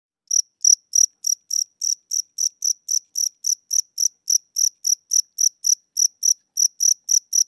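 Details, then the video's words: A cricket chirping indoors at night, seemingly tired or old with weakening wings, gives short, high, thin chirps about three times a second in steady succession; the owner notes its tempo is slower than before. "Cricket Chirping Sounds: Low Battery *_*"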